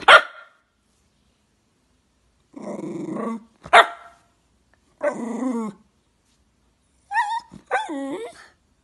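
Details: Jack Russell Terrier barking in short bursts spaced a second or two apart, some rough and growly, ending with higher whining, yelping barks that bend up and down in pitch; no other sounds.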